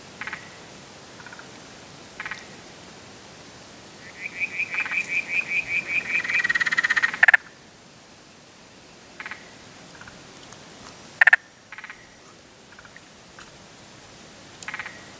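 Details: Spotted grass frog (Limnodynastes tasmaniensis) giving one rapid series of clucking pulses that grows louder over about three seconds, followed by scattered single clicks and a quiet background.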